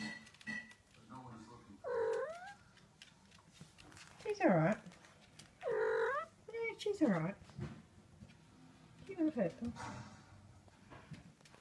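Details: Siberian kittens Link and Fox meeting Molly the dog while their protective mother Zarli watches; about five arched, descending meows spread over eleven seconds, mixed with Spanish-speaking voices indoors.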